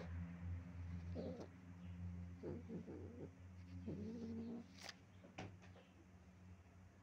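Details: Stray cat howling on stairs, heard as several short, strained, broken cries spread over a few seconds against a steady low hum and a couple of sharp clicks.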